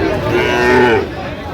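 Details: A Sahiwal bull calf moos at a busy Jamalpur cattle market in Bangladesh, 31 August 2025. A single drawn-out, tonal call swells and then fades after about a second, while buyers and sellers talk nearby.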